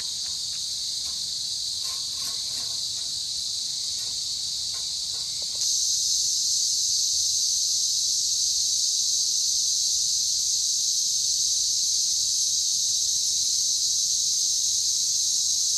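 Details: Cicadas in the Australian bush in January 2024, called the best alarm clock you can have: a high, hissing drone, quieter with a few faint clicks for about five seconds, then suddenly louder and unbroken to the end.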